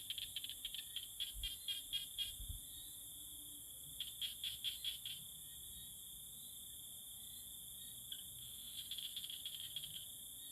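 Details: Tree frogs calling in courtship; rapid series of clicking, rattling pulses in groups of several, separated by pauses of a few seconds, above a constant high-pitched background drone.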